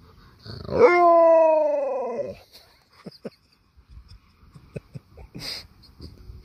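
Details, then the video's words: An Alaskan malamute touched on the paw answers with one loud, steady harmonic howl lasting about a second and a half. It rises sharply at the start and drops off at the end, followed by light clicks and a brief hiss. "Touch my Paw again! I Dare You! Malamute with Attitude"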